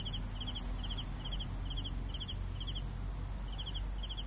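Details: Cricket chirps meant for sleeping, each a brief pulsed burst of three or four notes, spaced roughly every half second, set against a constant shrill insect hum and soft low noise.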